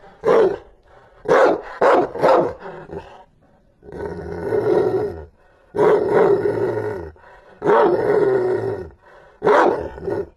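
A Rottweiler barks fiercely in quick deep bursts, then in longer, rough, drawn-out roars.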